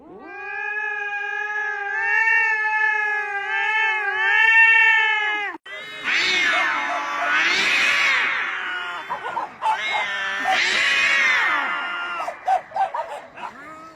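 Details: Domestic cat giving a long, steady, drawn-out meow lasting about five seconds, followed by a busier stretch of overlapping wavering, rising-and-falling mewing cries.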